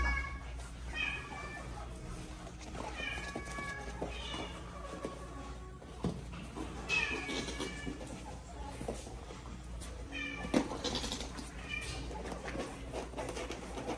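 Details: Meerkats fighting: a series of harmonic squealing calls, some rising and falling, arriving roughly every one to two seconds over a steady low hum, with a louder burst of overlapping squeals around the middle and a sharp knock near the end.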